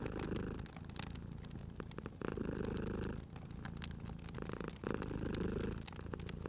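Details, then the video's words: A cute cat purrs at a fireplace, its low throaty rumble pulsing in rhythmic waves roughly once a second or so, each breath cycle clear, while the wood fire snaps and crackles in the background. "Cute Purring Cat at a Crackling Fireplace"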